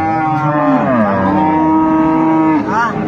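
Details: Improved-breed dairy cow or calf at Ambari cattle market, Dinajpur, on 25 August 2025, giving a long sustained moo that slides downward and holds steady, then a second short call rising at the end; market voices behind.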